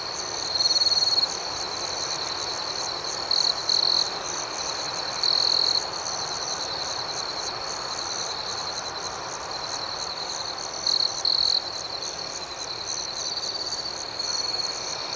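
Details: Crickets at night in a serene outdoor setting: a steady, high-pitched continuous chirping drone, with a louder, brighter trill breaking through in short bursts several times over the clip, and faint pulsing higher overtones.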